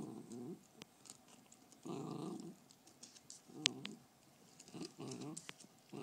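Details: Fergie the beagle guards her bone with low, gravelly growls in repeated bursts of roughly half a second. Faint clicks and a hiss of room noise run beneath.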